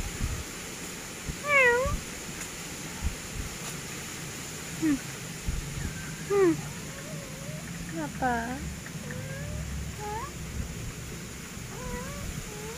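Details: Grey pet cat giving a run of short meows and chirpy mews, some rising, some dipping, spaced irregularly, with a faint voice and low hum in the background.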